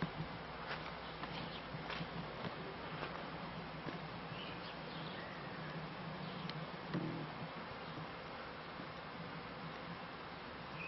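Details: Beekeeping scene with honey bees at the end of the 1995 season: a continuous low buzzing drone under scattered ticks and brief higher chirps, with a short louder thump around the seventh second.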